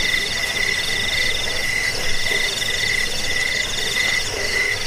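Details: Crickets (jangkik) in a recording meant to repel rats, help sleep and train songbirds: a steady, shimmering chorus of rapid pulsed trills at several pitches, with a high buzzing band that swells and fades every second or so over a soft background hiss.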